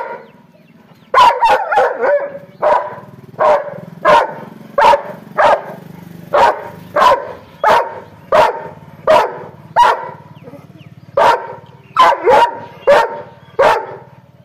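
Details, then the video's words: Angry dog barking in a steady series of sharp, loud barks, roughly one every half second after a short quiet start, with a low buzzing hum running underneath. "angry dog barking sound"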